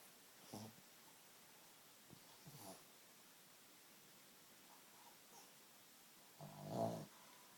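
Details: Sleeping small dog, thought to have sleep apnea, gives irregular snorts and breathy snores, short faint puffs early on and a longer, louder rasping snore near the end, with quiet gaps between.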